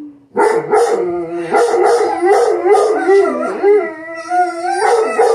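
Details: Several Rhodesian Ridgebacks howling together as a pack, layered sustained howls overlapping and wavering, voices sliding up and down in pitch, unbroken for about five seconds.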